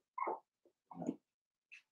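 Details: Four-week-old Cavalier King Charles Spaniel puppies from Daisy's litter in their indoor pen give two short, squeaky whimpers with a tiny yelp between and a thin high squeak at the end, in a quiet room.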